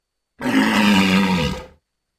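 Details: Walrus giving a single sustained, gravelly roar of about one and a half seconds, low and rough with a steady tone throughout, starting and stopping sharply against silence.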